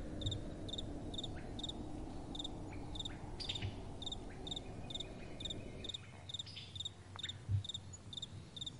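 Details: Crickets chirping at night in soft wind, a steady train of short high pulses about twice a second; midway the low wind noise drops away, and a few brief thumps and scratches are heard.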